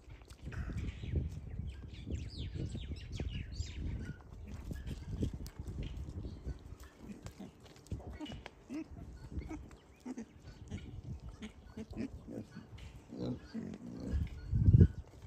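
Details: Wild boar piglets relaxing at a farm give deep, muffled grunts and snuffles in an irregular stream, some brief and some drawn out, with faint higher chirps and a louder grunt near the end.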